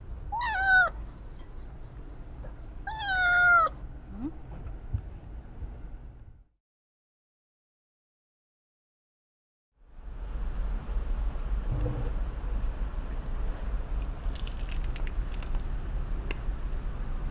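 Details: A domestic cat, one of two indoor cats (a brown tabby and a black cat) frightened by the noise of a newly bought washing machine, gives two drawn-out, wavering meows about three seconds apart, then quiet, then steady broadband machine rumble.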